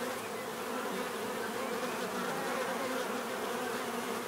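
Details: Continuous natural buzzing of bees, a thick even hum with slight wavering pitch as individual insects shift, steady in loudness from start to finish.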